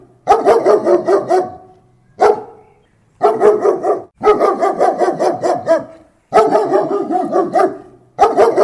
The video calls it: german shepherd barking close sound effect